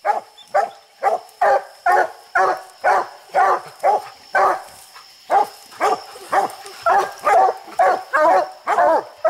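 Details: Treeing hound baying at a raccoon up a tree on a steep hillside, one of six raccoons that night; steady, punchy barks about two per second for nine seconds, evenly paced, with a thin constant hum behind.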